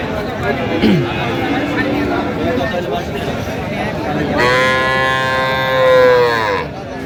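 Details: Sahiwal bull calf at a Narsingdi cattle market, Bangladesh, 31 January: a long, steady, low-pitched moo lasting about two seconds near the end, over busy market noise and men talking.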